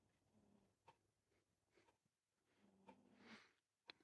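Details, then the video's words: Shadow, a pet cat in deep sleep, snoring indoors: two soft, low, raspy drawn-out breaths, one early and a longer one near the end, with faint clicks and quiet room hiss between them. "Snoring Kitty In A Deep Sleep"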